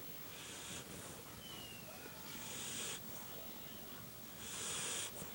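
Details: Snoring dog, three hoarse, hissing inhalations about two seconds apart, evenly spaced, with a faint thin whistle between the first two breaths.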